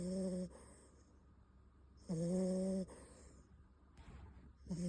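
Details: A sleeping Beagle puppy named Bon snores in a slow rhythm, with one snore ending at the start, one full droning snore in the middle and another beginning at the end, plus soft breathy rustles.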